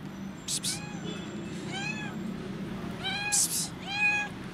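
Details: Skinny, hungry kitten meowing loudly from hunger: four clear, high, arching meows, each rising then falling, spaced about a second apart, with short bursts of hiss-like noise between them and a low background rumble.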